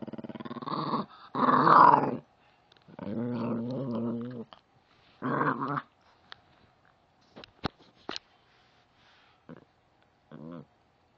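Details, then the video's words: Angry puppy growling indoors in several rough, buzzy bursts of one to two seconds, separated by silences, with scattered clicks and knocks and a short final grumble. "angry puppy"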